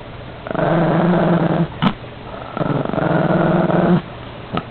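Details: Chihuahua growling while protecting his cookie, two sustained low rumbling growls of about one second each, separated by short gaps with brief sharp sounds between them.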